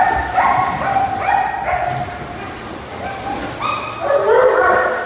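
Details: Pet dogs of many breeds bark and howl together in overlapping tonal calls. The voices fade in the middle, then a louder, higher chorus swells at the end.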